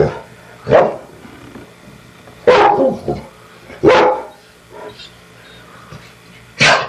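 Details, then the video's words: Two pet dogs barking: single sharp broadband barks spaced irregularly, roughly every one to two seconds, with quiet gaps and faint background noise between them. "Dogs Barking"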